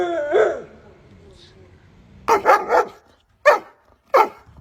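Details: A dog barks in short, sharp bursts: three quick barks close together, then two single barks a little over half a second apart. A brief voice and tonal sound come first.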